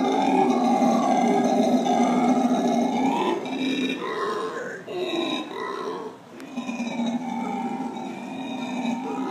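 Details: Captive black howler monkey family at San Francisco Zoo in the morning, giving a continuous throaty chorus of grunts for three seconds, then shorter broken calls with brief pauses before the droning resumes.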